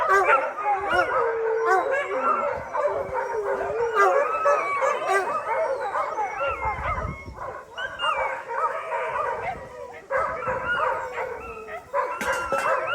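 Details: Some 600 dogs at a shelter howl together once a thunderstorm has passed, a massed chorus of wavering, overlapping howls and yips that dips briefly near the middle, then surges back.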